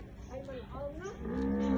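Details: Khmer cattle offered for sale in Kampot province, Cambodia: a short, low, drawn-out moo that swells toward the end, with faint voices in the background.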